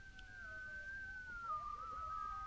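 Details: Many coyotes howl loudly from just over a hill, about an hour before dark, in a long, steady wail that slowly slides lower in pitch.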